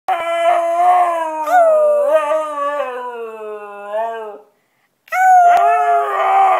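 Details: White Siberian Husky singing loudly; a long, rich howl that rises and dips with wavering pitch for about four seconds, a brief silence, then a second loud howl begins.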